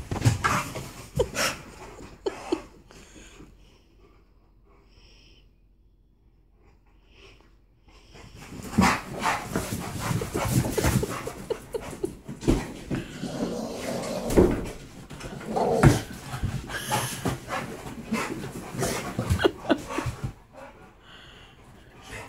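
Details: An Alaskan Malamute makes rough, breathy grumbles and snorts while teasing a Pitbull with a toy in play, sounding fiercer than it is, with people talking nearby.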